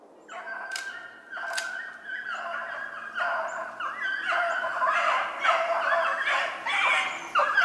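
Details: Several Beagles in full cry while hunting snowshoe hare, recorded 25 February 2016: overlapping howling bays from the pack form a dense, continuous chorus that swells louder toward the end, with no other clear sounds.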